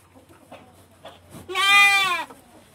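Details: Female goat in heat calling to be mated, kept in a farm pen; after faint rustling and soft background sounds, one loud, wavering, nasal bleat lasting under a second.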